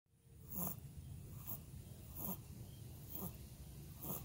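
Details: Cocker spaniel puppy snoring: soft, breathy snorts repeating about every 0.8 seconds, each a short hissing burst over a low rumble, steady and quiet throughout.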